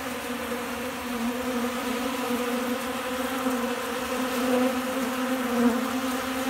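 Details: Honey bees swarm a keeper's hand to feed in Central Alabama, windy with storms on the way; an even, continuous low buzzing drone with layered overtones, swelling slightly near the end over faint wind.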